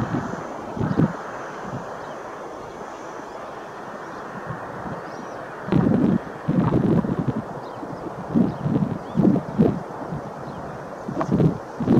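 Only gusting wind roaring across the microphone, with low rumbling bursts and no bird calls.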